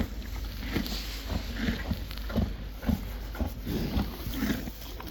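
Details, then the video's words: Crunching of hay as Friesian horses and foals eat, repeated short gritty bites and grinding jaw movements at an even pace over a low steady background hum. "Best sound in the world!! ASMR | Friesian Horses"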